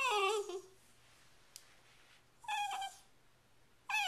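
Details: Female Shiba Inu named Sachi demanding her dinner indoors, April 23, 2010, pointing her nose at the fridge; three short harmonic whines, the first sliding downward, separated by quiet gaps.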